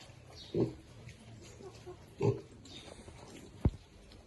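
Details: Two short, low grunts from feeding baby pigs, about a second and a half apart, followed by a single sharp click.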